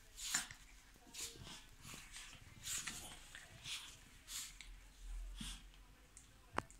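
Chihuahuas at play give breathy, hissing huffs and snorts in quick bursts, roughly twice a second.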